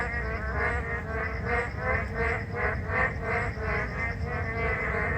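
Narrow-mouthed frogs give buzzy, nasal rasps repeated about twice a second over steady rain.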